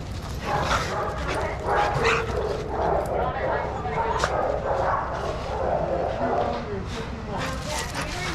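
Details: Playing dogs in an Arizona shelter yard at Pima Animal Care Center, handlers watching over them; repeated sharp barks and yips from several dogs overlap in a steady din, with people speaking nearby.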